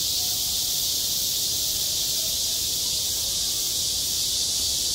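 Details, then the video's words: Summer chorus of cicadas over a school playground, a loud, even, sizzling buzz that holds steady for the whole stretch with no breaks, only soft rumble below. "한 여름 운동장에서 매미가 울고 있다 - 여름의 소리, 학교 종소리, 매미 울음소리"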